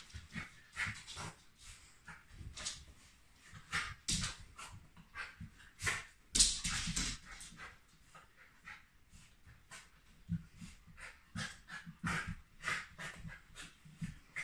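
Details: Very happy Shiba Inu dog panting steadily in quick breathy puffs, uneven in loudness, with one sharper louder burst midway.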